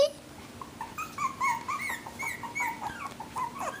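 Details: Havanese puppies from a new litter of four, one female and three males, whimpering and squealing in high, wavering cries that rise and fall in quick succession, with a person talking softly nearby.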